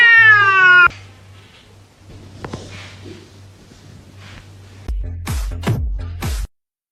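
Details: Domestic cat giving one loud, drawn-out meow with rich harmonics lasting about a second, then a quieter stretch with a low steady hum and scattered knocks and clicks.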